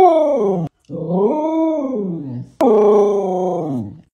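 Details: Samoyed dog howling indoors: loud, drawn-out, harmonic-rich howls, the first falling, the second rising then sliding down, the third starting high and dropping, with brief silent gaps between.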